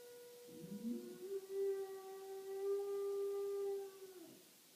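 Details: Pet dog indoors howling along while tornado sirens are tested: a wavering rise into a long, steady, tonal howl held for about three seconds before fading.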